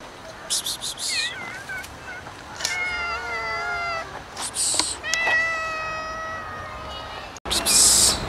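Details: Domestic cats and kittens meowing: two drawn-out, harmonic meows with wavering pitch, the second slightly higher and steadier, among short clicks and rustling bursts, ending in a loud noisy burst.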